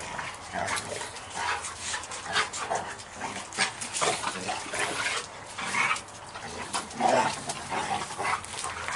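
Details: Mason and his sister, American Bulldogs aged seven months, wrestle in rough play, giving a steady run of huffing, breathy grunts and scuffling growls with no pauses longer than a second.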